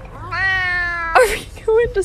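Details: A pet cat gives one long, drawn-out meow, steady in pitch and held for nearly a second, followed by a person's voice and short bursts of talk.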